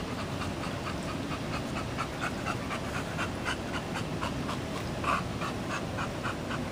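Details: Katie, a German Shepherd Dog and recent graduate of a full-service training program, pants steadily with quick rhythmic breaths, several per second, over a constant low background rumble.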